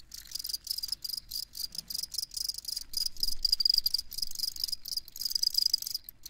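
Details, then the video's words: Close, loud cricket chirping, crisp high pulses in quick bursts about four per second, clear and dominant with little else behind them. "Crickets Chirping"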